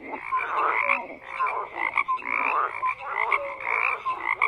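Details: Several frogs croak together, rough pulsed bursts swelling and fading about every half second, with short clear notes between them.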